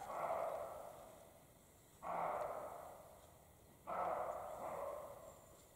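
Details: Male and female European roe deer in the spring mating period in the Carpathian mountains give hoarse, gruff barks, each a harsh burst, about every two seconds.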